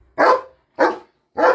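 A German Shepherd gives three deep, full barks, each about half a second long, spaced evenly apart.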